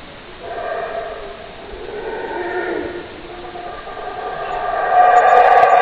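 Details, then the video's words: Howler monkeys roaring in layered waves that swell and fade, then a stronger, louder chorus near the end. "Howler Monkey Scary Sounds"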